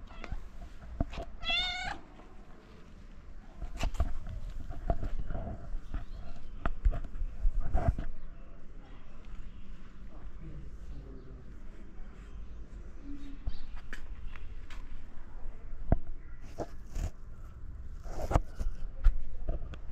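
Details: Mother stray cat in Morocco gently asking for food while her kittens sleep: a single short, rising-falling meow early on, then soft clicks, shuffling and handling noises throughout.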